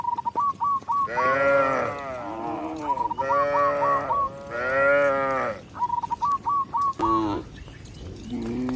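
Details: ['Tame cow walking back into its pen with a village shepherd, rural surroundings; three or four loud, arching moos of about a second each, alternating with quick series of thin high chirps.']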